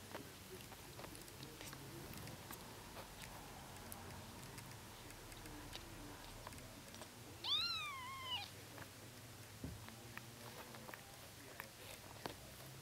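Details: Bengal kitten just one day old giving one short arched mew, rising and dropping, partway through an otherwise quiet stretch of soft rustling and ticking sounds.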